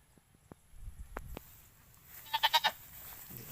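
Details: Pet goats kept at home, being given water; a short quavering bleat of four quick pulses near the end, after scattered clicks and knocks.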